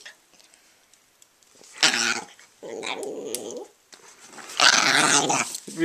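An Italian Greyhound gives harsh, rasping snarls around a lower, rumbling growl, with a person talking nearby.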